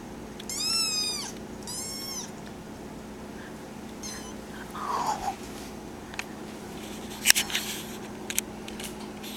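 A young kitten gives two high, thin meows in quick succession, each rising then falling.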